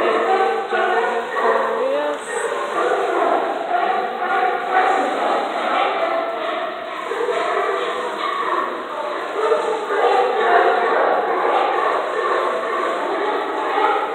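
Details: Sea lions gathered under the docks of Astoria, described as singing: a dense, continuous chorus of overlapping harsh, honking barks from many animals, rising and falling irregularly throughout with no pause.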